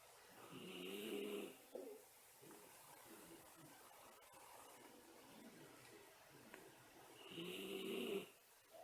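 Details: Miniature Schnauzer asleep at nap time, two whistling snores about six seconds apart, each a breathy hiss carrying a thin high whistle, with quieter soft breathing between them indoors.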